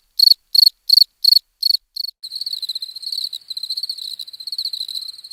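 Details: Crickets chirping: five or six sharp, high, evenly spaced chirps about a third of a second apart, then a continuous rapid pulsing trill of overlapping chirps; no other sounds.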